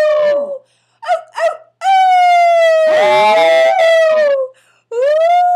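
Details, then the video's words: A Maltese dog howling like a wolf: long, drawn-out tonal howls that hold steady then slide down, broken by two short yelping notes, with a wavering siren-like sound overlapping in the middle. "Maltese Thinks He's A Wolf"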